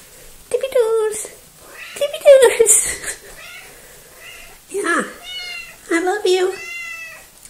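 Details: Small, talkative female pet cat recorded 3 February 2018, giving a run of meows: several drawn-out, wavering cries with a rising-then-falling pitch, separated by brief pauses, some ending in a sharp downward slide.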